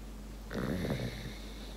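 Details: An English bulldog lying on its owner in the morning and seeking attention gives a low, throaty, snore-like rumble that the owner says is purring, not snoring.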